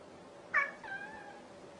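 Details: A single short meow from a cat, a sharp bright onset that eases into a brief descending wail, with a low hum in the room behind it.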